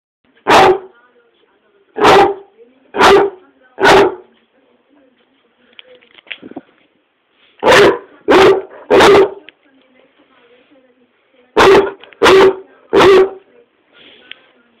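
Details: Dog on a sofa in an angry tantrum, one of many each day, giving loud, sharp barks in quick groups of three or four with quiet gaps between, some faint grumbling and rustling between the bursts.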